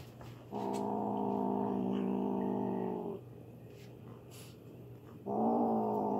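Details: A male foster kitten, eating chicken he grabbed and ran off with before the other kittens could take it, gives two long, steady, rumbling growls, one about two and a half seconds long and a second after a pause, defending his food.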